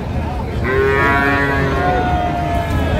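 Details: Friesian bull calves for sale at Raniganj market, Dinajpur, Bangladesh, 1 December 2024; a long tonal moo starts after half a second and holds steady, slowly falling, amid busy market murmur and traffic noise.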